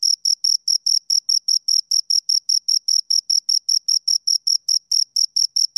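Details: Two crickets produce a continuous run of short, shrill chirps at a brisk, regular pace, about six a second, with no background noise.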